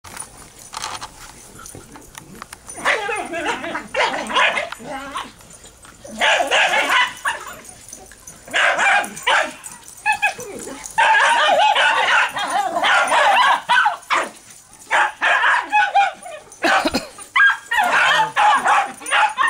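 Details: A Dachshund playing with a beach ball gives sharp, high barks and yips in quick, uneven bursts, with a voice faintly behind.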